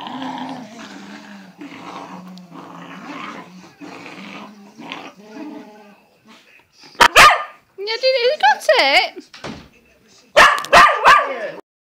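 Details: Two cocker spaniels playing tug of war give loud, sharp barks and high, rising, whiny yelps in tight bursts after a person speaks, some clipped and harsh, others stretched into rises and falls.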